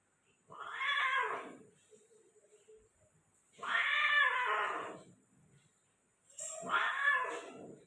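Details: Persian female cat being mated, Gujranwala cat breeding: three drawn-out, raspy moaning wails about every three seconds, each rising then falling, with a soft low murmur between the first two, indoors.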